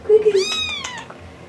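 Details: A house cat gives a short falling meow followed by a longer, bright, arching meow, in a quiet indoor room with low background hum.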